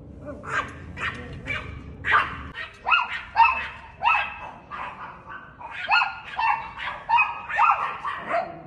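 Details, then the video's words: Chihuahua barking at a cat: a string of high, sharp yaps with rising onsets, irregularly spaced but nearly continuous, following a few rougher barks at the start over low background hum. "Cute Chihuahua Dog Barking At A Cat"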